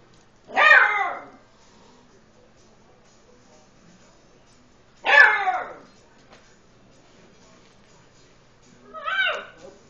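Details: Eight-week-old Beagle puppy, scared of the household tom cat, giving three short, sharp, high yelping barks spaced about four seconds apart, the last one softer, in an otherwise quiet room.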